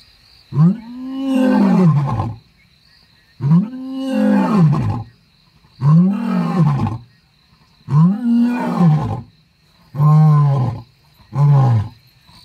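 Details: Lion in the wild, from a pride with seven cubs and a male: six deep, harmonic roaring grunts in a steady series, each about a second or more long, spaced roughly two seconds apart, shortening toward the end, with insects whining in the background.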